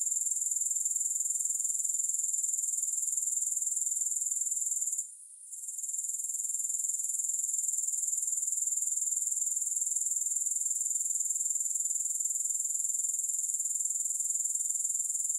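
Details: Grasshopper sound as an even, very high, rapidly pulsed buzz that stops for a moment around the fifth second, then carries on unchanged; nothing else audible.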